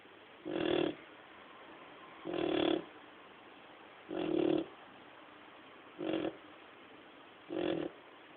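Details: Male dog asleep and snoring in a regular rhythm, five short, harsh, rasping snores roughly every one and a half to two seconds, with near silence between breaths.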